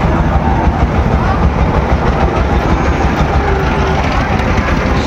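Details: Loud, steady rumbling machine noise with faint voices at a busy cattle market, and no animal call stands out.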